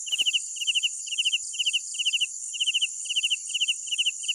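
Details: Crickets calling after dark, one near caller repeating short four-pulse chirps about twice each second, layered over an unbroken high insect whine.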